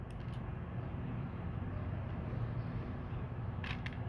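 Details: A steady low rumble of passing traffic fills the recording, with a few brief high clicks near the start and end, and no animal voice.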